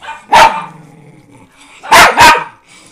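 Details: Barking from a household of four rescue Miniature Pinschers and a Doberman, indoors; three sharp, loud barks, one then a quick pair about a second and a half later, with faint whimpering between.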